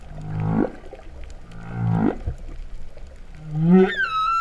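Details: Underwater humpback whale song at Vava'u, Tonga, September 2015, described as sounding like a cow's moo. Two low grinding upswept groans follow one another, then a rising moan that turns into a clear, high, held tone.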